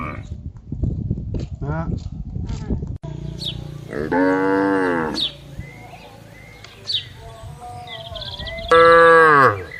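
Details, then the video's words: Tame cattle grazing free in a wide green plantation, lowing in two long harmonic moos, one near the middle and a louder one at the end, with bird chirps and a rustling, noisy start. "Sapi Lembu Gembala Bebas di Kebun Luas 🐄 | Suara Moo Asli"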